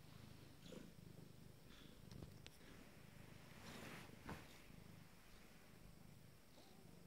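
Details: Abyssinian kittens nine days old give a continuous deep purr, an even low throb, broken by a few brief clicks and rustling movements near the middle.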